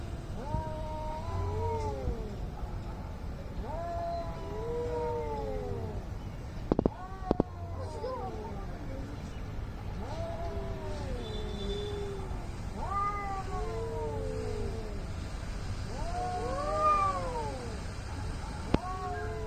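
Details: Angry cats squaring off to fight, exchanging arched, wailing yowls every few seconds, one voice higher than the other, with brief clicks, a low hum and faint background voices.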